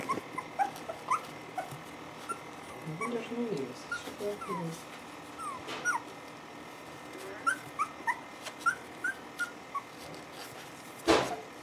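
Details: Wire Fox Terrier puppies indoors give short, high squeaky whimpers and whines, repeated irregularly through the recording, with women talking in Russian in the background and a sharp bang near the end.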